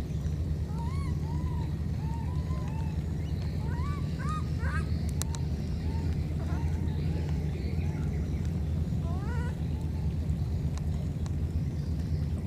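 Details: Two baby monkeys separated by a flood call to each other: high, arched, squeaky whistles in short bursts, some quick rising pairs, sounding over a steady heavy low rumble.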